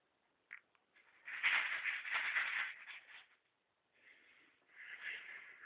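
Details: Ferret named Rudi fighting for food: harsh, noisy hissing bursts, a brief one, then a long rasping stretch of about two seconds, a pause, and two more raspy bursts, all in a narrow band.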